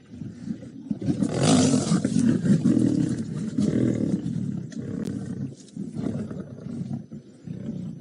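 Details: Young lions of the Nkuhuma pride at Djuma Game Reserve, on the afternoon/evening of 13 March 2018, growl in deep rumbling bursts that swell and fade while feeding on the last remains of a buffalo carcass, with little meat left.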